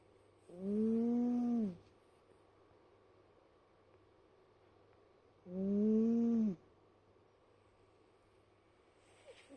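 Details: Cat snoring indoors. Two voiced, drawn-out breaths, each lasting about a second, come roughly five seconds apart, with a low hum steady in the background.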